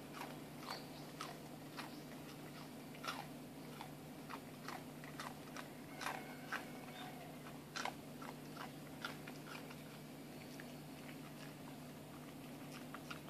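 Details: A plump Shiba Inu munches a senbei rice cracker, giving a long run of small, dry crunches and crackles at an uneven pace, set against a constant low hum.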